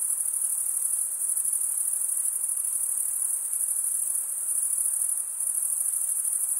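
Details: A continuous, dense cricket chorus of males chirping by stridulation: a bright, very high ringing pulse stream with slight waves in loudness and a faint background hush.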